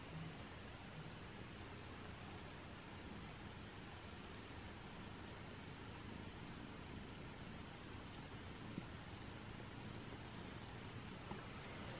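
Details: Quiet, steady broadband hiss like distant traffic or room noise, unchanging from start to end, with no animal sound standing out.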